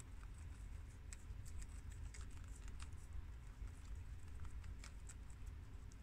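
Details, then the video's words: Four guinea pigs of American, mini yak and Abyssinian breeds feed on freshly washed romaine lettuce. Crunchy leaf-chewing clicks come in scattered, uneven bursts, thickest around the middle, against a faint constant low hum. "Adorable Guinea Pigs Eat Romaine Lettuce for 10 Minutes!! Cute Munching Sounds!!"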